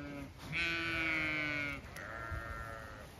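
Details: Zwartbles ewes in a field on an Irish farm in County Kilkenny, talkative as their field is checked before a move; a loud, sustained harmonic bleat lasting over a second, followed by a softer second bleat.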